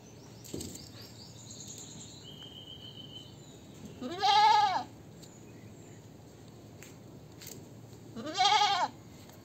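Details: Goat bleating twice, about four seconds apart, each call a wavering, quavering bleat of about half a second, with a faint click and low background hiss between calls.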